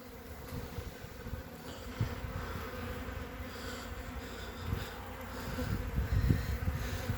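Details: Honey bees covering three frames during a hive inspection on 14 February 2021, with capped brood present; a steady low hum with an even drone line, broken by soft thumps and rustles from handling the frames.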